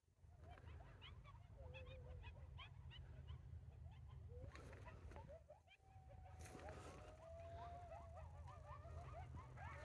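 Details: Distant coyotes heard on a morning walk at an off-grid homestead yip and howl, with wavering high notes over a strong rumble of wind.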